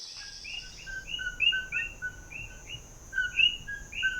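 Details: Common coquí frogs (Eleutherodactylus coqui), native to Puerto Rico, in an introduced, growing population in a Turrialba neighbourhood, Costa Rica, chorus with repeated two-note calls, a low 'co' then a higher, rising 'quí'.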